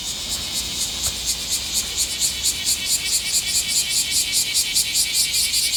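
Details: Midsummer chorus of bear cicadas, a shrill high rasping drone beating in rapid even pulses, about two or three each second, that swell slightly louder toward the end; no other clear sounds.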